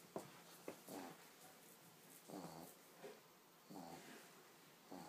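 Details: Sleeping pug puppy snoring softly indoors: breathy, wheezy snorts returning roughly every one to one and a half seconds, faint against a quiet room.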